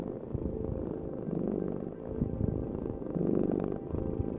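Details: Close, deep purr of a cat, a grainy low drone that rises slightly in loudness toward the end of the short stretch.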